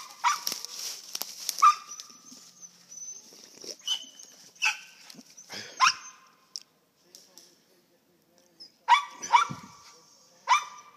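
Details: Squirrel hunting dogs at a kennel in western Kentucky give sharp, ringing barks in quick bursts, a cluster early on, then single barks spaced a second or more apart, while a man's voice calls encouragement between them.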